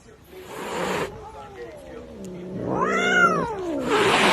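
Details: Cat giving a drawn, wavering low meow that rises into an arched caterwaul-like cry, with bursts of hissy noise at start and end.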